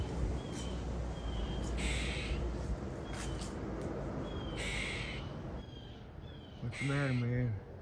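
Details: A squirrel, apparently stuck up on a house and unable to get down, gives rough, scratchy barks likened to Donald Duck ("muk-muk-muk") in brief bursts a couple of seconds apart over background hiss, with a man speaking between and over the calls.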